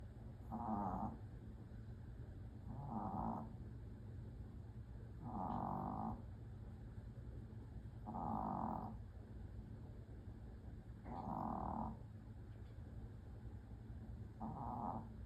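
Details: A Pomeranian snoring heavily while asleep, with six drawn-out nasal snores that come roughly every two and a half seconds and are set apart by quiet breathing, over a low steady background hum.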